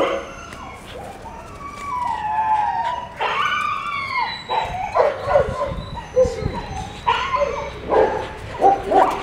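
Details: Siberian Husky puppies playing at a kennel: rising and falling whines, yelps and short howl-like cries from several pups, with bursts of scuffling noise between calls.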